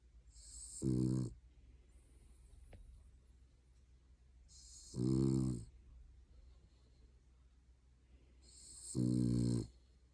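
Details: Pet dog asleep on a lap in an odd position, snoring: three droning, nasal snores about every four seconds, each with a low buzzing tone and a breathy hiss, quiet room between them.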